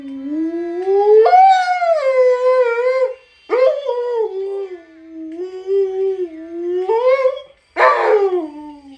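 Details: Alaskan Malamute "talking" at mealtime: long, wavering, howl-like moans that rise and fall in pitch, a drawn-out first note, then shorter bending cries and a rough yelp near the end.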